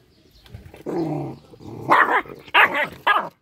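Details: Small dog, angry, giving a low grumbling growl that breaks into three loud, sharp yelping barks near the end.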